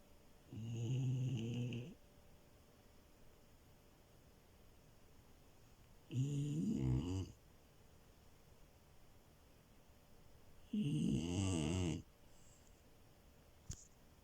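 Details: Milo the French Bulldog puppy, sleeping on a bed, snores three times about every five seconds, each a rasping, vibrating breath lasting over a second, separated by quiet pauses.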